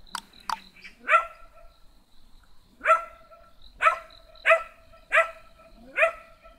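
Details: Small black dog barking in short, high yapping barks, six sharp bursts spaced about a second apart after a couple of faint clicks at the start.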